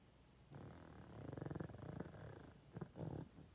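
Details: Sleeping 12.5-year-old male pug snoring loudly: a rough, buzzing inhalation of about two seconds with a rattling texture, followed by a couple of shorter snorting breaths near the end.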